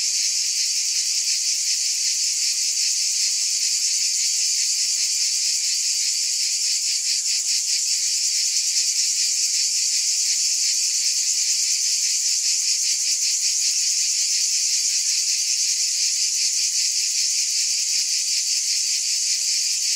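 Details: Continuous shrill drone of cicadas, a thick high hiss with faint fast throbbing, constant in loudness throughout, nothing else audible.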